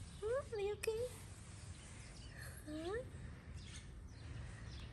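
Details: Stray cat on a Moroccan street meowing for food: a few short rising meows near the start and one more around three seconds, faint against steady traffic rumble, with a sharp click.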